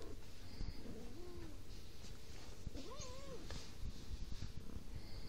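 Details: A domestic cat gives faint, short meows, one near the start and a louder arched, rising-then-falling meow about three seconds in, over steady low background rumble.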